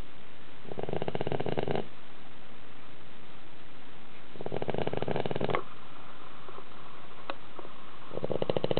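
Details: Dog snoring in deep sleep, loud as a middle-aged man, indoors in a slanted house; three coarse, rattling snore bursts about 3.5 seconds apart with a few soft clicks in the pauses.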